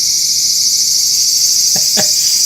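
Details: In a garden in southern Japan during high summer cicada season, just after the monsoon rainy season, a cicada sings close by, a steady, loud, high-pitched buzz that never breaks.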